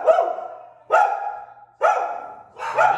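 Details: Pit bull in a home training session in Southwest Florida, Lee County; the dogs are described as aggressive toward other dogs and reactive to visitors. Four loud, ringing barks, each trailing off, spaced under a second apart.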